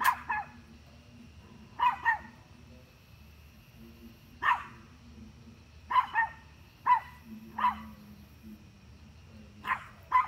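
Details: Barking dog directing repeated short, hoarse barks at deer, mostly in quick doubles, coming every one to two seconds over a soft low background hum.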